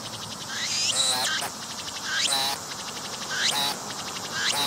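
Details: Cicada with transparent wings, filmed at close range on a tree as it pumps its abdomen to sing: loud buzzy, harmonic-rich phrases repeat about every second, each with a rising then falling sweep.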